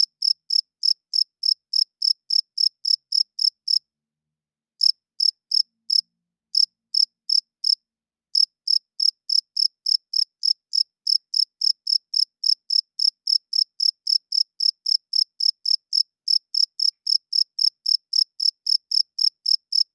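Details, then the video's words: A night-time cricket, the male chirping with its wings to court females and claim territory: steady high-pitched chirps, about three or four per second, broken by one brief pause early on, with no other sounds. "40 Minutes of Cricket Chirping Sounds - Cricket klinkt 's nachts luid"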